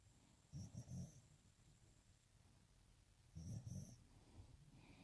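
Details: Puppy sleeping upside down after a long day, giving two soft, low, rumbling snores about three seconds apart, each with a faint snuffling edge, over a quiet hiss.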